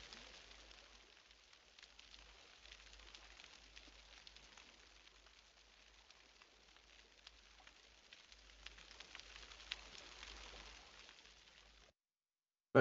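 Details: Snapping shrimp (pistol shrimp) in Western Australian marine waters fill the water with a dense, steady crackle like frying bacon, made by rapidly closing claws generating big air bubbles.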